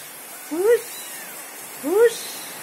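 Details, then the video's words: Kitten searching for its mother, giving two short rising meows with clear harmonics about one and a half seconds apart, each sliding upward then dropping, over a quiet indoor background. "Anak kucing lucu sedang bingung mencari induk nya"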